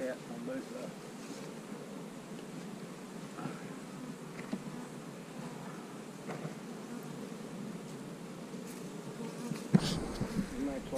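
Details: Honey bees humming steadily during a hive split with queen cells; an even low buzz with faint harmonics continues, then handling thumps near the end.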